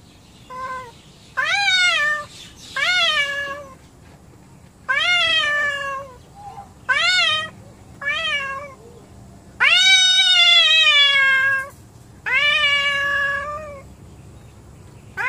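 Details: Domestic cats, more than one, angry with each other at home: a run of about eight loud, strained meows, most rising then falling, one long wavering wail near the middle, separated by short quiet gaps.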